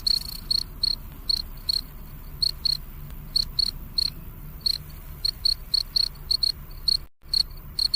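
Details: Chirping cricket at night: a long run of thin, high, clicky chirps grouped in twos and threes at irregular spacing, with a quiet low background drone and a brief dropout.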